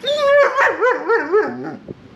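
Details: Male German Shepherd pup, seven months old, arguing against being brushed: a loud sustained whine that breaks into rapid, warbling, yodel-like rises and falls, several pulses over about a second, fading to soft grumbles.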